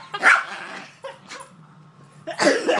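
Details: Pet Jack Russell Terrier barking: a harsh, broadband bark burst near the start, a softer short bark in the middle, and another rough, noisy bark at the end; a person exclaims just before.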